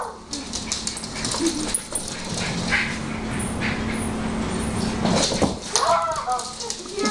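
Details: Pet dog indoors on a wooden floor, barking and whimpering in short noisy bursts, overlapped by constant human talk and household clatter.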